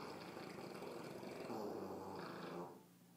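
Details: Sleeping tired puppy giving one long, rough, gravelly snore that fades out near the end, with a faint low hum in the background.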